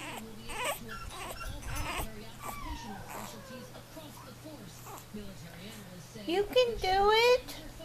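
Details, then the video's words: Unhappy four-week-old male French Bulldog puppy trying to learn to walk. A woman speaks encouragingly throughout, then near the end a loud, high, wavering cry rises and falls for about a second. "French Bulldog Puppy 4 weeks old. Unhappy!!"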